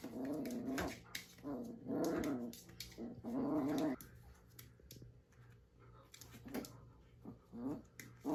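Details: Italian Greyhound playing tug by itself, giving repeated low, rough growls in short bursts about every second, with pauses and softer grumbles between, plus light scuffling sounds.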